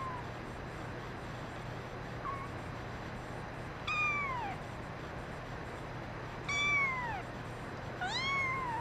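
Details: Brown mackerel tabby male kitten crying: three clear, falling meows spaced about two seconds apart, each sliding downward in pitch, with a faint short mew earlier over steady low background hum.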